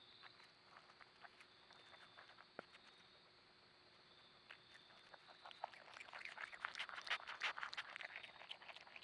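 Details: Little opossum munching at night in a backyard: soft, sparse chewing clicks at first, then a dense run of rapid crunching bites near the end over a quiet, steady background hum.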